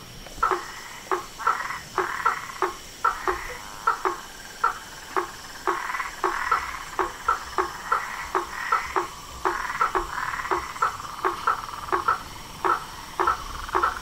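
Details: Frogs, toads and treefrogs calling together: short sharp calls near two beats a second, each a brief burst, over a steady buzzing trill; faint high hum throughout.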